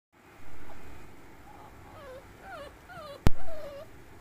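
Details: Classic bully, a Rottweiler and Olde Bulldog mix, whimpers in a string of thin, wavering whines that slide downward. A sharp click lands just before a last long whine.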